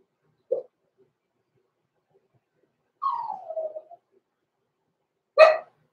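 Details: Six-week-old blenheim Cavalier King Charles Spaniel puppies, born November 14, 2022, in an indoor puppy pen overnight: a short yip, then a falling whine about a second long, then a sharp harmonic yelp, with silence between.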